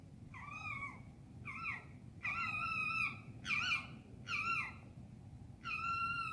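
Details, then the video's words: Foxes at night in an urban part of London, UK, giving six loud wavering screams in quick succession, each a strained, rising-then-falling harmonic cry about half a second to a second long, over a quiet low rumble. "Foxes scream at night in London"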